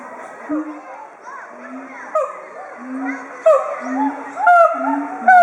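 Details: Two siamangs at Chiba Zoological Park, Japan, recorded 18 October 2013, calling loudly together in excitement with inflated throat sacs as a threat toward intruders; deep booming hoots alternate with rising, sliding whoops, while schoolchildren shout and chatter nearby.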